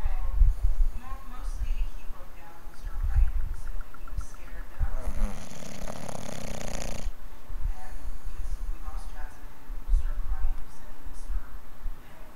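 A sleeping English bulldog snores in deep, rumbling breaths, repeated every few seconds.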